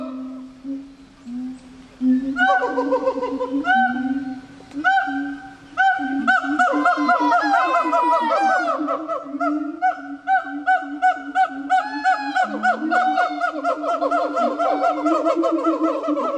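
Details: Gibbons at Japan Monkey Center, a zoo in Japan, on International Gibbon Day, October 24: opening hoots build into a dense, excited sequence of rapid rising whoops and trilled notes, nearly three per second.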